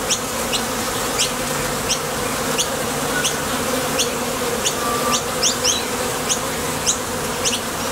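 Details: Honey bees at the entrance of a Top Bar Hive, leaving and landing as they fly out to gather nectar: a steady, dense droning hum from wingbeats, marked by quick, sharp high ticks scattered irregularly throughout.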